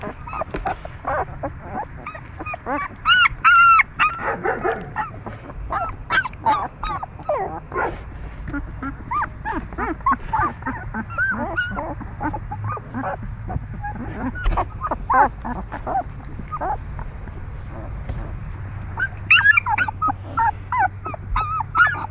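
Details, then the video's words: Puppies, making noise and moving a lot: a busy stream of short high whines, yips and squeaks from several pups, overlapping throughout with louder bursts near the start and end, over soft rustling and shuffling. "puppies are good today too, making noise and moving a lot"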